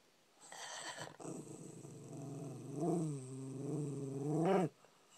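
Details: A puppy grumbling because it wants food: a low, drawn-out rumbling growl lasting about four seconds, wavering in pitch with a slight rise near the end, in a quiet indoor setting.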